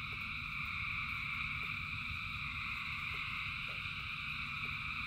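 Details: A rain-soaked frog chorus of thousands: layered continuous trills ring high and even, while isolated drips tap now and then beneath a low background rumble.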